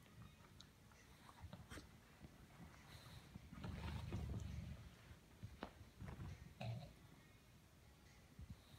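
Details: Two dogs, a Bulldog and a Corgi, playing together; a low rumbling growl swells for under a second, with a shorter low growl a few seconds later, amid soft scuffling and clicking noises.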